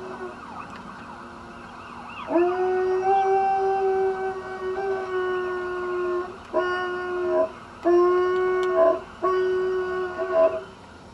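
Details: Dog howling in 2009: long, steady, tonal howls with bright harmonics, several held for over a second, the later ones broken into shorter rising and falling phrases, over a faint background hum.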